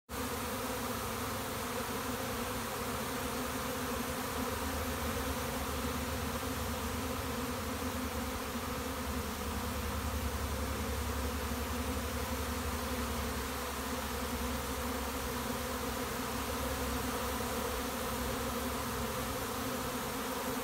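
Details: Honey bee swarm arriving at a bait hive, an old winter dead-out placed beside a house: a dense, steady, continuous hum of many bees at even loudness throughout, low droning tones layered under broad buzzing.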